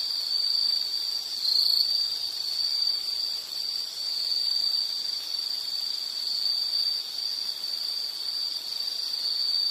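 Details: Insect chirping as a calming nature sound for study or sleep: a steady high-pitched trill with slight pulsing, running continuously without pause over a faint hiss of background noise.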